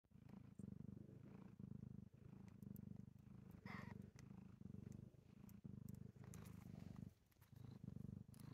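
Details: Mother cat purring with her six newborn kittens, a few hours old, born that morning under a bed in Ontario: soft, low, continuous rumbling purr pulsing steadily, with faint rustling and small squeaks on top.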